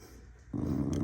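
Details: An angry corgi, recorded 28 January 2026 and angry again, gives a sudden low, rough growl after a moment of quiet.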